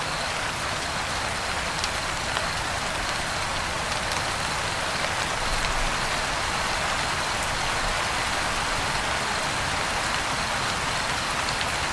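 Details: Steady rain hisses throughout, with no clear animal voice standing out. The broad wash of drops stays even from start to finish.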